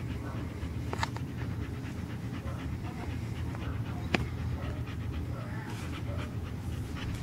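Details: Lucy, a part chow, part Lab pet dog, pants steadily while playing with her favorite toy: continuous raspy, rhythmic breathing noise, a few sharp clicks and knocks from the toy, faint human voice in the background.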